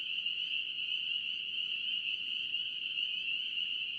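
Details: Spring peepers in North Carolina calling as a dense chorus, their high peeps merging into one steady, shrill ringing tone with no breaks or other clear sounds.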